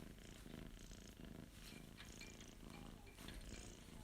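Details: Young male Abyssinian cat, born September 2021, purring while being stroked; a low, steady rumbling hum runs throughout, with faint handling rustles on top.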